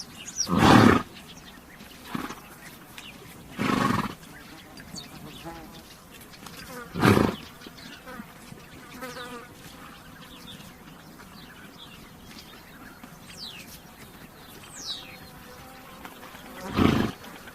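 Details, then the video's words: Harsh, noisy horse snorts, loud at the start and again at the end, separated by softer huffs, with insect buzzing and small chirps filling the pauses. "THE SOUND OF A HORSE"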